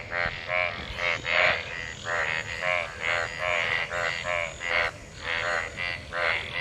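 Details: Chorus of numerous mating frogs gathered in monsoon rainwater: loud overlapping croaks with bright harmonic bands, repeated in quick bursts about every half second, constant background hiss.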